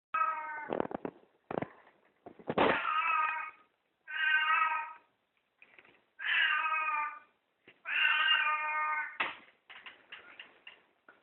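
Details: Pet cat calling in greeting after waking up, indoors: a run of harmonic meows, some short and some drawn out, with soft clicks and chirps between them; an owner's voice follows.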